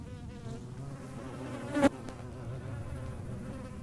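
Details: Hornet buzzing in flight, filmed outdoors: a steady low hum with stacked harmonic bands, interrupted near the two-second mark by a short sharp knock or click.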